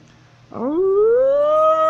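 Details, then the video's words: Wolf (Canis lupus) of North Eurasia, howling while walking: after a short onset, a loud, smooth howl swoops upward, then levels into a sustained, rich harmonic tone held to the end, over a faint low hum. "Wolf is Walking while howling"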